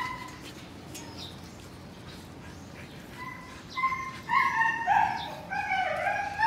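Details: At Melarn Kennel in the Philippines, a show-quality Siberian Husky gives a few soft, thin whines, then after a quiet stretch bursts into louder, rising and falling whimpers packed close together toward the end.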